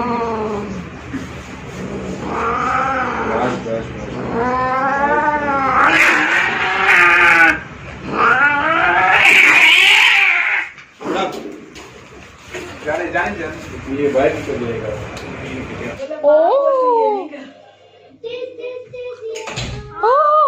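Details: Angry-natured yet loving two-year-old male cat Zurro produces a run of quick wavering yowls that swell into a harsh, loud burst midway, then fade to quieter scattered short yowls toward the end.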